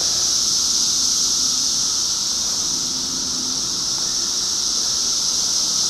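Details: A 2013 cicada chorus: a loud, continuous shrill drone, even and without pauses, keeping one high pitch throughout.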